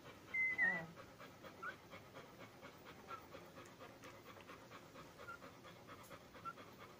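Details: Ten-day-old Labrador Retriever puppies: one short, high squeak near the start, then a few faint, tiny chirps over soft, rapid, rhythmic ticking and rustling.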